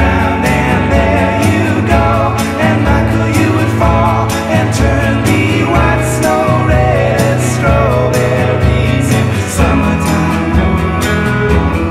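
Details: Loud gospel-style music with singing voices, steady beat and instruments throughout, no animal heard.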